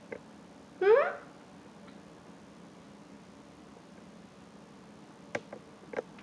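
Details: Oreo, a talkative pet cat, gives a single short rising meow, then the room goes quiet apart from a few faint clicks and knocks.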